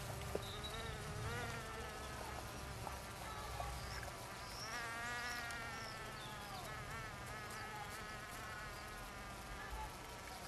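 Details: Several bees buzzing together in Finistère, Brittany, France: overlapping hums at differing pitches rise, fall and cross each other, giving a busy, wavering drone with a few soft clicks.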